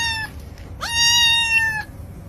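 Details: Domestic cat in a funny cat compilation giving two meows: a brief falling one, then after a pause a longer, loud, steady-pitched meow with a quick rising start and rich bright overtones, over a low background hum.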